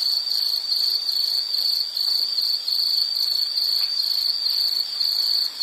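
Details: Insect calls in a relaxing nature soundscape, an unbroken high-pitched pulsing trill with soft higher chirps above, fading slightly at the end.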